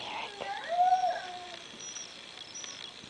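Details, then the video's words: Diva, a pet dog missing the owner's grandson Derek, howls after hearing him on the computer; a single drawn-out, slightly wavering tonal howl rising then falling, with a faint steady background hiss. "Funny Dog missing Baby"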